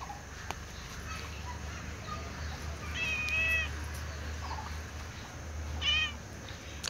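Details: Cat sitting on a wall and meowing for food: two fairly soft, tonal meows, one mid-clip and a shorter one near the end, over a persistent low hum and faint background noise.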